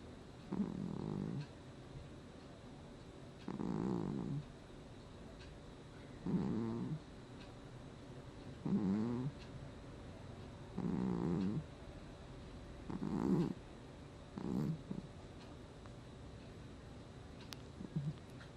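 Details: Cat asleep and snoring, August 2020: seven regular low, grating snore breaths repeated about every two to three seconds, each short and harmonic-rich, against a soft steady indoor hum.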